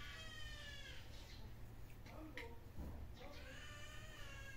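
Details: Kitten giving two drawn-out, wavering meows, one in the opening second and another rising and falling near the end, with people talking in Bengali in the background and a low steady hum.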